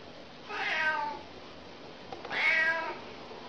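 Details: Cute domestic cat meowing, part of a compilation: two short, moderately loud meows about a second and a half apart, each rising then falling, over a faint steady background hiss.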